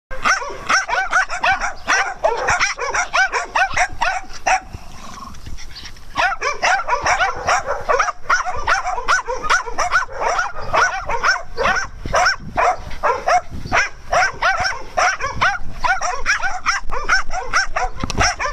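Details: Dogs at playtime on a farm, with rapid, irregular barks and yips from several animals, over two per second, dense and overlapping, pausing briefly around five seconds before resuming just as busily.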